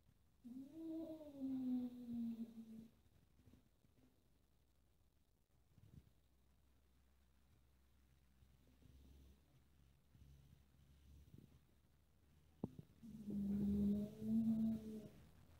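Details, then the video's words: Kitten in a house with four cats playing, irritated by a black cat that bites; two long, low, wavering meows, one at the start and one near the end, separated by quiet with faint knocks. "The kitten meows misunderstood"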